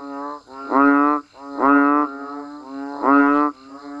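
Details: Banded bullfrogs and frogs calling in the rain outdoors: three strong, buzzy, mooing bleats about half a second to a second long, joined by softer droning calls from more distant frogs.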